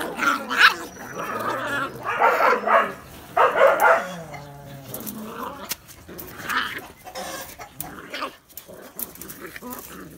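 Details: Phu Quoc Ridgeback puppies, the litter of Saga and Bơ, giving short wavering whines and yelps in scattered bursts, loudest in the first four seconds, then fainter squeaks with clicks and handling noise.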